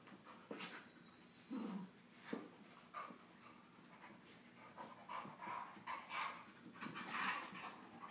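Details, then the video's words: Play-wrestling Husky pup, a Husky, Chihuahua and Lab mix, gives rough breathy pants and a short low grumbling growl, then gets busier toward the end with snuffles and scrabbling paws. "Husky pup loves to wrestle"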